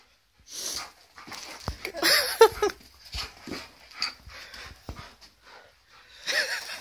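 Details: An Alaskan Malamute (wolf dog), reacting to a birthday balloon, vocalizes in uneven bursts: breathy whimpers, panting, and a few louder, wavering yowls that rise and fall, in short spurts separated by brief pauses.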